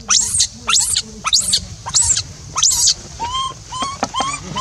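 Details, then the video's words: Lone monkey crying for a companion who left it: harsh, shrill screams in quick bursts, giving way to softer, rising coo-like whimpers repeated about twice a second. Low background hum. "So Pity!!Rainbow keeps crying till lose sound to call Libby back leave her stay alone"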